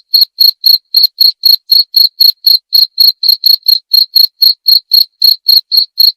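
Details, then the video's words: Cricket chirping in a steady run of short, high, shrill pulses, about four per second, each with a faint higher overtone; no other sounds, clean silence between the pulses. "Suara Jangkrik"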